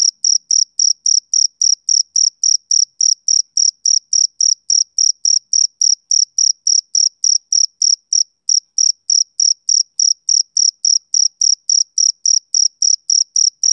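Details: A male cricket on a summer evening keeps up a steady, shrill chirping. Short bright pulses come roughly three or four per second, with one brief gap near the middle, over a silent background.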